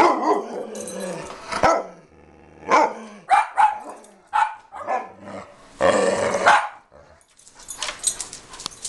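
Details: Pet dog that dislikes having its picture taken, barking and growling in a run of short, harsh, broadband barks, some spaced a second apart, others bunched together, with a longer rough bark near the end.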